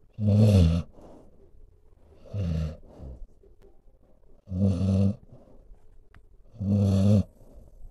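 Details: Sleeping dog snoring in deep, rumbling bursts, four loud snores spaced about two seconds apart, each with a low buzzy rattle and a softer exhale between.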